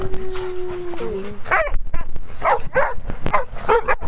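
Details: Dogs playing on a farm, a brief drawn-out whine followed by a series of loud barks roughly every half second.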